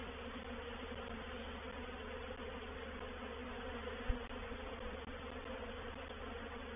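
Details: Honey bee swarm, reproductive, moving into a bait hive at Painted Peacock Manor, 04/07/21. A constant massed wing-hum fills the recording, broken once by a sharp knock just past four seconds.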